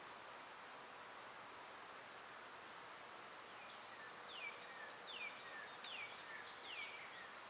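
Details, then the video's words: Insistent high buzzing of cicadas in summer holds constant, and a few falling bird chirps appear in the second half. "Birds & Squirrels w/ Cicada sounds"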